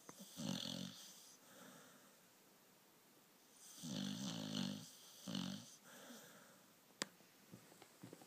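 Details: Pearl, a Staffordshire Bull Terrier, sleeping deeply and snoring loudly. Rough, rattling snorts come in clusters of two to three, with quiet breaths between them, and one sharp click.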